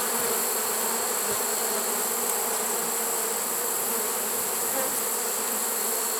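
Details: Honey bee swarm caught in a swarm trap, late in the season on September 1, 2019: a steady, dense hum of many bees, unbroken and even in loudness throughout.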